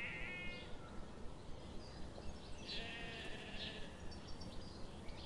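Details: Sheep grazing in a forest under the morning sun; a short harmonic bleat opens the clip, followed by a longer wavering bleat midway, over a steady hiss with faint regular ticking.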